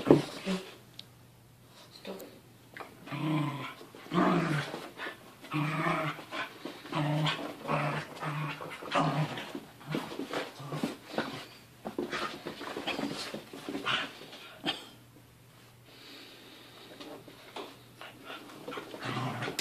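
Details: Mochi the seven-month-old puppy wrestles her 1.5-year-old brother Churro. Repeated low growls and snarly grumbles rise and fall over scuffling and panting, with loud flurries midway and a quieter stretch near the end.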